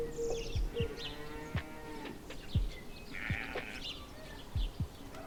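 A water buffalo gives deep, drawn-out low moos with a nasal, harmonic edge, over scattered thumps and faint background music.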